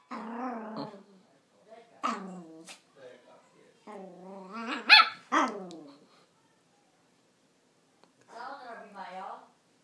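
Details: Max, a 4-month-old Yorkshire terrier puppy, barks at the camera. The barks are drawn-out, harmonic and growly, coming in several bursts with pauses between them. Human voices are mixed in.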